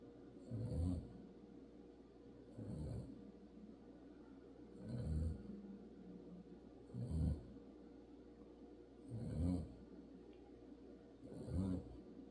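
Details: Dog sleeping on his car seat bed snores in a slow, even rhythm; low, rumbling rasps come roughly every two seconds, separated by near silence, with a soft wheezy hiss at each breath.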